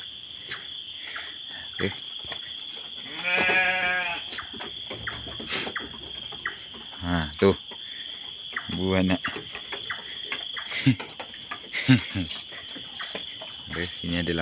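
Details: In a night-time pen holding a mother goat with her kids, a wavering bleat rings out, followed by several shorter, quieter bleats amid rustling, a constant high insect hum and brief human voices.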